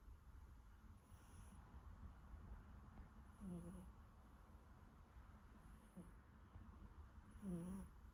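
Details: Snoring from a dozing Siberian kitten, three rhythmic breaths over eight seconds, each a short, thin squeak that slides downward, with airy high hissing on the exhales and a low background hum.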